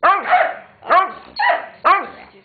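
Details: Dogs at play as Weetzie harasses Junior into a game and Maddy objects throughout; four loud barks spaced roughly half a second apart, each bright and harmonic with a brief upward sweep before dropping.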